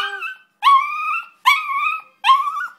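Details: A pet terrier 'singing' indoors: three drawn-out tonal howls, each starting with a sharp onset and wavering slightly, about half a second apart, after a brief fading note.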